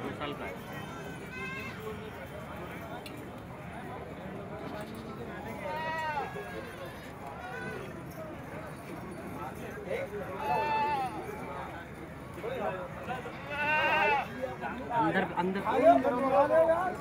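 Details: Beetal goats offered for sale outside Jama Masjid in Delhi for Bakra Eid: wavering, harmonic bleats rise near 6, 11 and 14 seconds, with more toward the end, over constant crowd talk and street noise.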